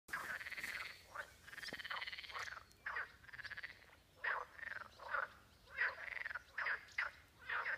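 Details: Frogs croaking in a pond in Spain on June 30, beside the Camino de Santiago with swallows flying around; loud raspy croaks come in bursts of about half a second, repeated irregularly, with several callers overlapping.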